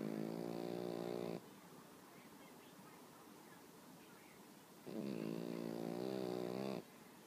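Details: Pekingese kept as a pet, sleeping on its owner one morning and snoring peacefully; two long, nasal, harmonic snores about three and a half seconds apart, each lasting over a second, separated by soft breathing.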